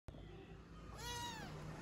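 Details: A British Shorthair kitten gives a short, rising-then-falling meow as a woman speaks softly to it.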